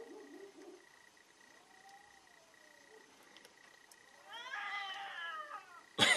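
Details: Cats in a fierce fight: a faint, thin whine gives way to a loud, harsh, descending yowl, ending in a sudden sharp bang.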